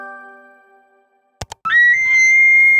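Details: A male elk bugles a loud, high, sustained whistle that climbs slightly and holds steady, a call used to attract females and defend territory against rivals.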